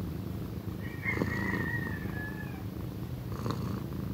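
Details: Pequeña, a loud-purring female cat soon to be one, gives a throaty, rapid rumbling purr. A thin drawn-out higher call runs faintly behind it early on.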